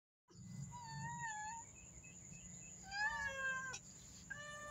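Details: Black cats, a mother and her kitten, meowing to ask for food: a long level meow, then softer short calls and two rising harmonic-rich meows near the end, over a steady high-pitched background tone.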